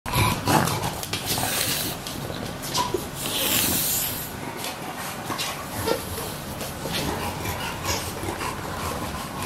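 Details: Two English Bulldogs, aged about 1 year 5 months and 1 year 2 months, recorded 20 November 2015: snorts and grunts in rough, breathy bursts, with a faint growl underneath.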